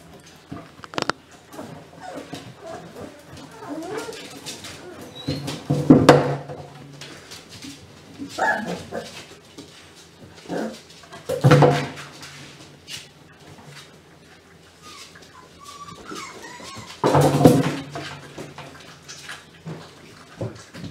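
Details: German Pinscher puppy litter giving loud bursts of short barks and yelps about every five to six seconds, separated by quieter whimpers, with people's voices heard in the room.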